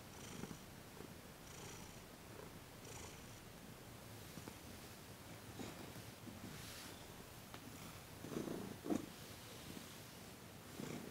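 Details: Thomas the cat keeps up a quiet purr through a massage and Reiki session on December 28, 2021; faint low rumbling breaths throughout, a louder pair of pulses near the end, occasional soft rustles.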